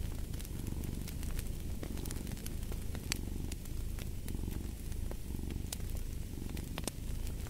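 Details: Steady low-pitched cat purr running through the whole stretch in gentle breathing pulses, with crisp fireplace pops and crackles layered over it.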